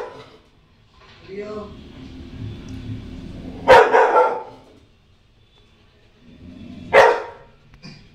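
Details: Scared female Rottweiler puppy reacting to her own image on TV gives two loud, abrupt barks roughly three seconds apart over soft background TV sound, with quiet stretches between.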